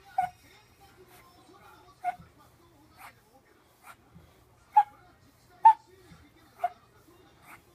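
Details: A blind 14-year-old Shih Tzu with terminal cancer and seizures, near death, gives short, sharp whimpering yelps at irregular intervals with quiet pauses between, recorded 28 October 2017.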